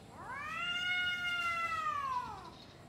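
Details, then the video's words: Domestic cat facing another cat before a fight: one long drawn-out yowl rising then slowly falling, rich in harmonics, about two seconds long against a quiet background. "Kucing Ngobrol Sebelum Tarung | Cat Fight | Suara Kucing"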